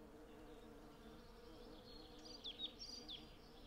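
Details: Western honey bees in their hundreds work a blossoming cherry tree for honey, making an even, low, continuous drone. A few faint, short bird chirps come in near the end.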